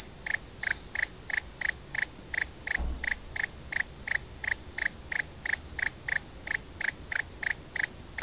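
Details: Two-spotted cricket singing: loud, clear, high chirps repeated at a steady pace, about two to three per second, twenty-odd chirps in a row over a quiet background.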